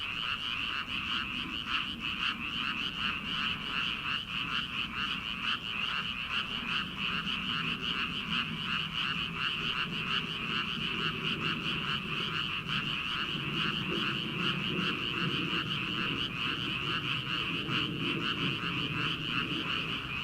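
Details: Frogs croaking in rice fields on an early summer night before planting. Many overlapping callers keep up a fast, pulsing chorus of about two and a half croaks per second, with soft low rumbling of night air beneath.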